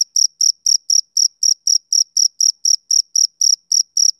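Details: Steady chirps from a male cricket, summer evening, each a short high trill-like pulse spaced roughly a quarter second apart, evenly repeated against a silent background.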